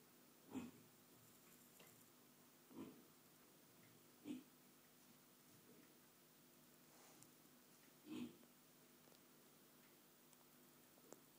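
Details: Micro pig named Dextur, calm and docile while getting a belly rub indoors, giving soft, short low grunts spaced a couple of seconds apart in a quiet room.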